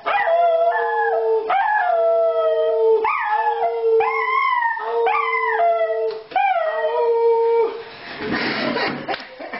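A Schnauzer howls in a string of drawn-out, wavering notes, each rising then settling on a steady tone.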